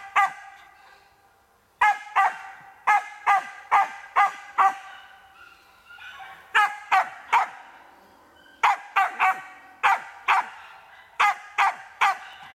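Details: Marten-training session with a Karelo-Finnish Laika: bursts of rapid sharp barks, several per second, broken by pauses of one to two seconds, with quieter rustling between bursts.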